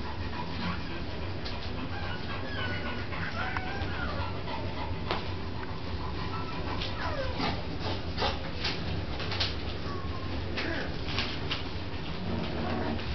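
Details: Bronx the dog playing with pups; many brief, high, squeaky whimpers slide up and down in quick succession amid clicks and rustles of movement over a low steady hum.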